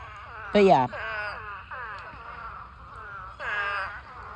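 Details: In a pond packed with thousands of mating spadefoot toads, one loud, harsh bleat bursts out nearby, followed by long drawn, moaning calls that slide gently downward and a second strident cry near the end.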